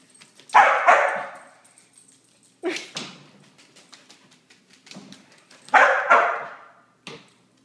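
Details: Border Collie indoors after three days of rain, giving loud broad barks in short bursts of two or three, separated by pauses, with sharp clicks and knocks between them in a small room.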